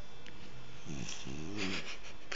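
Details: Sleeping French bulldog snoring loudly indoors: two rough, buzzy snores with stacked low tones, a short one then a longer rattling one, over a steady background hiss.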